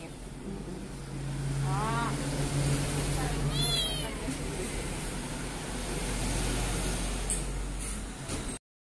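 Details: A rescued kitten found behind a door, crying in fear, gives two short wavering meows early on while people talk nearby over a constant low hum.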